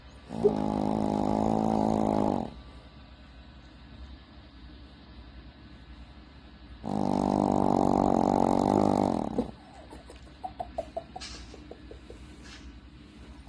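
A Shih Tzu snores in long, harsh, buzzing breaths, each lasting about two seconds, with a quiet pause between them. A few soft clicks and ticks follow the second snore.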